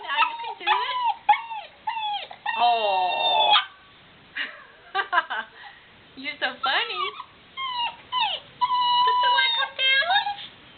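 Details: Young female black Labrador Retriever puppy trying to get down the stairs whines in short, high, wavering whimpers that rise and fall, some drawn out into longer cries, with brief pauses between bursts.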